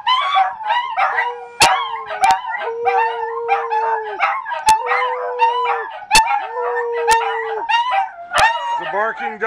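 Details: Three dachshunds and one Scottish terrier howl together indoors in North Lexington, NY, in long, steady, wavering notes that overlap, broken by sharp clicks at intervals.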